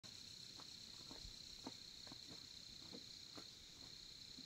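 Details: Crickets at a campsite in Korea beside a campfire: a steady, high, continuous trill holds throughout, with faint scattered crackles and low rustling beneath.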